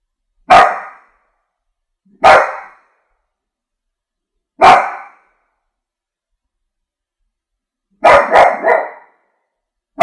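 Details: Pet French bulldog barking in clipped single woofs spaced about two seconds apart, ending with a rapid burst of three barks; silence fills the gaps.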